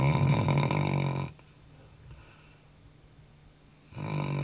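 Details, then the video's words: Labrador Retriever kept as a pet, snoring at night after a day of heavy running: one strong, throaty, vibrating snore lasting over a second, then a pause before the next breath begins. "ronquidos de labrador"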